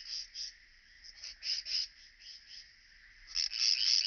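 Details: Striped bush-cricket recorded at Vela Ucka, Croatia, on 25 July 2023 using an ultrasound detector: a high, buzzy stridulation delivered in short pulsed bursts, several each second, swelling louder near the end.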